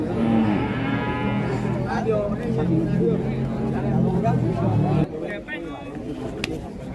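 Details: Limousin Belgian cattle give a long, low, steady lowing for about three seconds before it cuts off, with a busy crowd and music behind and clicks of handling afterward.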